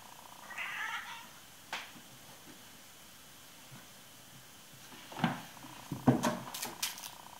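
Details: Babar, a 16-week-old male Bengal kitten, on his very first day in his new home, playing and exploring a climbing tree indoors; several short meows and mews, one near the start and a cluster near the end, with rustling and handling noises in a small room.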